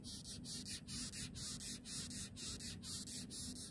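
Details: A large longhorn beetle in Israel rears up when touched and gives loud, rasping, scratchy squeaks about twice a second, also hissing.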